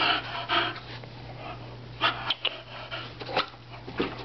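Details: Aeris, a female Bulldog, jumping for her toys indoors: short, irregular snorting breaths and sniffs in brief bursts, with a low steady hum underneath.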